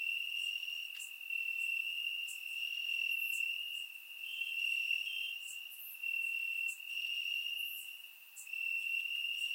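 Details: Summer-night chorus of crickets in the grass, Bulgaria, surround-microphone recording: one unbroken high-pitched trill running throughout, swelling and fading slightly, with brief higher insect chirps popping in at intervals.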